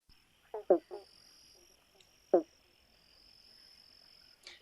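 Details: An eastern banjo frog of southeastern Australia gives brief, resonant, hollow 'bonk' notes like a plucked banjo, less deep than the giant banjo frog, over a faint steady insect hiss. It breeds mostly in spring and autumn.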